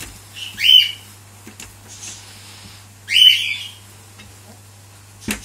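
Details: Cavalier King Charles Spaniel puppies kept in a cage, the lone male pushing his dominance over the females: two shrill, piercing squeals about two and a half seconds apart, then a brief knock, with a faint constant hum beneath.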